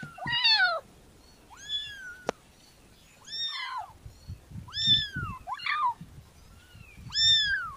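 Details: Kitten meowing in a series of rising-then-falling cries about a second apart, some bent and wavering, over low handling and rustling sounds and a single sharp click.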